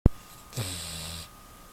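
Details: Choco, a pet Beagle, sound asleep; a sharp click opens, then one low, rumbling snore drawn out for about two-thirds of a second over a steady faint hum.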